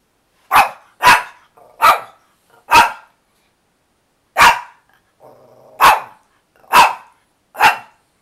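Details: [1, 'Pet dog barking for filet mignon flavored chewy treats: eight sharp, loud barks spaced unevenly across eight seconds, with a soft whimpering whine between the fourth and fifth barks.']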